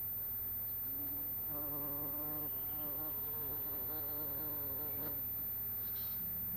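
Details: Buzzing bumblebee on 26 April 2017, late morning; a wavering droning hum whose pitch bends up and down in short swells, with a constant low background hum.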